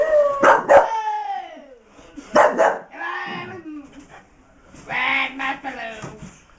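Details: Blaze, a female miniature English bull terrier indoors, trying to get her toy hidden in a box: high whining cries sliding downward, then sharp barks in bursts, with a person speaking softly in the background.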